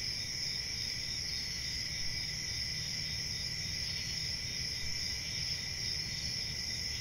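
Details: Crickets give a constant high, ringing chorus of even trills that never pause, with a soft low-pitched background rumble.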